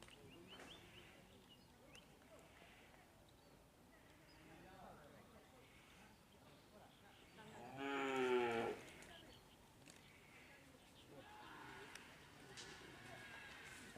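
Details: Madura cattle at karapan sapi bull race training at Asemanis field in Pamekasan, Madura, Indonesia: one short harmonic moo about eight seconds in over low background music and voices.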